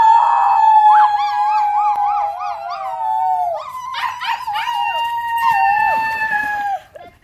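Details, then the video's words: Tonka, an Alaskan Malamute, howls while visiting children count to three and howl with him in a try-not-to-howl challenge. Long, wavering tones dip, warble and rise, with overlapping voices layered across the seven seconds. "Malamute Has Company & They Have A Howling Good Time!!"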